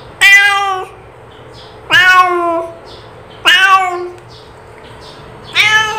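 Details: Domestic cat calling with four loud, drawn-out meows, each about half a second long and rich in harmonics, spaced roughly one and a half to two seconds apart, the pitch sliding slightly downward at the end; a quiet room with faint background hum.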